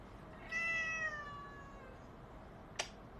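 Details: Domestic cat giving a single drawn-out meow, a clear harmonic tone that slides gently downward over about a second, followed by a brief sharp click near the end; quiet room background.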